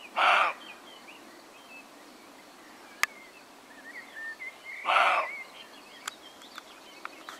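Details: Roe deer with a damaged left eye gives two short, harsh, broadband barks about five seconds apart. Faint bird chirps, whistles and clicks fill the quiet between them.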